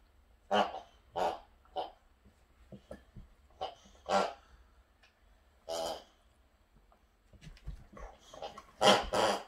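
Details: Pet Boxer dog at home, one of two Boxers in the house, giving short irregular bursts of barky, growly vocal sounds with pauses between them, some louder and harsher near the end.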